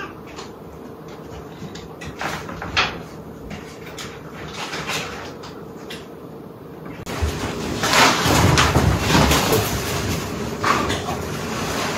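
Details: Household knocks and sliding, rattling noises over a steady hum, turning into louder broadband clatter after about seven seconds.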